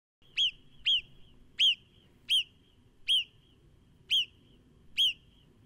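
A marmot gives seven sharp, piercing whistles, each a brief high chirp, spaced about half a second to a second apart over a faint low rumble.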